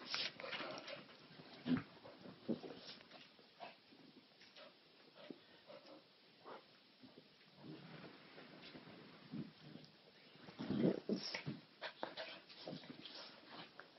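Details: Little white Maltese and a bulldog, best buds, playing nonstop together indoors, he biting, chewing and jumping all over her; scattered soft grunts, snorts and brief whimpers amid rustling scuffles in a small room.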